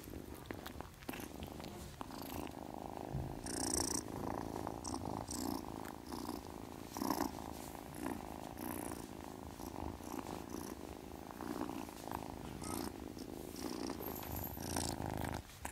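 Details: Witty the kitten asleep and purring, a continuous low throbbing hum with regular pulses over about sixteen seconds, with scattered faint scratchy rustles.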